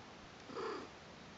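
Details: Newborn Persian kittens, a brother and sister, with their mother Lucy or Kimba on their first day. One short mew of under half a second: a steady mid-pitched tone with a fainter upper overtone, over soft indoor hiss.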